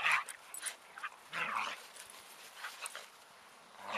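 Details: Ten-week-old Giant Schnauzer puppies giving short, high, yelping barks and whimpers in scattered bursts, several close together near the start and middle, with quiet gaps between.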